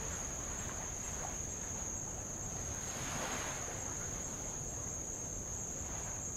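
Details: Unbroken high, thin insect buzzing from Avalau in Tonga, taken from a boat beside old lava; one gentle wave surge rises midway under the constant tone.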